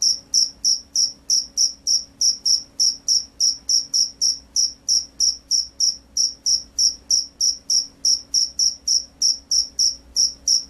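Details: Field cricket (jangkrik sawah), described as a gacor, vigorously singing individual, gives high, shrill chirps repeated steadily about three times per second, roughly thirty-three pulses in a row over a faint low background hum.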